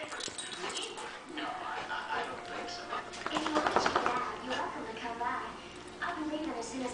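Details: Molly the Italian Greyhound and Emma the golden retriever playing together; high whining and yipping calls, with a quick burst of sharp yips midway, mixed with people talking throughout.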